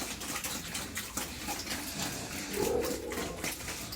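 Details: Pigs at feeding time on a farmer's home farm: steady wet slurping and splashing throughout, then a short nasal squeal-grunt near the end.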